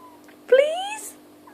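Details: A cross-eyed cat playing with bubbles gives one short meow that rises gradually over about half a second. A person's voice is heard just before and after.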